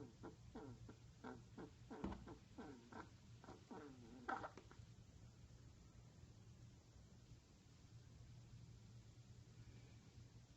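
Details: Pet rat curled in a ball, snoring loudly indoors: a run of rhythmic, harmonic snorts roughly every third of a second for about four seconds, then only a faint steady hum remains.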